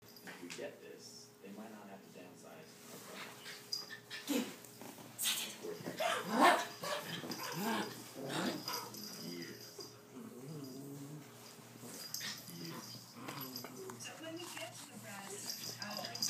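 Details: Two pet dogs, Chubbles and Cuteness, play rough as Cuteness finally gets revenge on Chubbles: scattered throaty growls and grunting huffs, with a louder burst near the middle, under steady human chatter and a faint constant hum.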